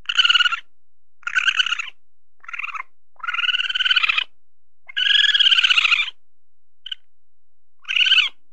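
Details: Calls of an Asian palm civet looking for its mate: grating, buzzy calls of uneven length, two drawn out past a second, plus one tiny clipped note, in a quiet setting.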